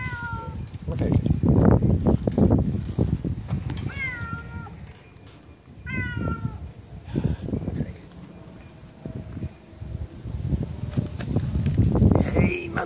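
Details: Zlatan, a pet cat enthusiastically welcoming his owner home, meows several times in falling, harmonic calls spaced seconds apart, mixed with a man's low-pitched Dutch speech and footsteps.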